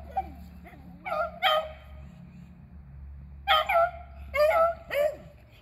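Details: Beagles Athena, Zeus and River, two aged eleven and one aged three, hunting squirrels on April 21, 2020; scattered short yelping barks in small bursts with quiet gaps and a low steady hum beneath.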